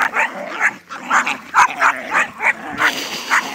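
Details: Jack Russell Freddie and Staffy Sam playing tug of toy with Jack cross Chow Pigrit as umpire; a run of short yappy barks and growly play vocalisations roughly every third of a second, with a person talking.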